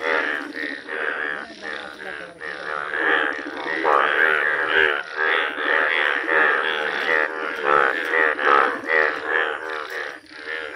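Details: Indian bullfrogs, rare yellow form, in full calling chorus: many nasal, droning croaks overlap in a near-continuous, rhythmically pulsing wall of sound lasting over ten seconds.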